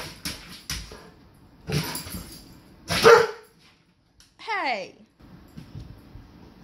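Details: A golden retriever, skeptical of a peanut butter bowl he was allowed to lick, gives a high falling whine-yip after a few bursts of licking and handling noise, indoors.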